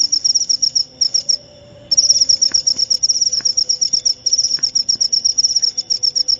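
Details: Rapid high-pitched cricket chirps in quick pulse trains, pausing for under a second near the start before resuming; faint low background hum.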